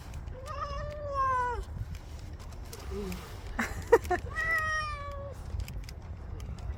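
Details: Stray cat meowing while it eats kibble: two long, clear, plaintive meows that bend gently downward, separated by brief clicking and crunching sounds.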